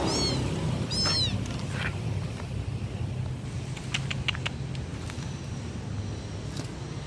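Two thin, high-pitched kitten mews rise and fall at the start, calling for the mother over a low rumble.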